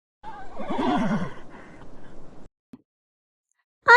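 A horse whinnies, a wavering, quavering neigh that falls in pitch over about a second and trails off into breathy noise; a brief second whinny starts at the end.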